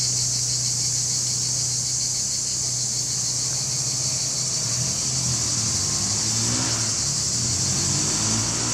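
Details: Male cicadas singing in July 2020 near Larissa, Greece, captured on a Panasonic HC-X900 camera: an unbroken, shrill, high-pitched buzzing chorus, with a low engine-like hum underneath that swells toward the end.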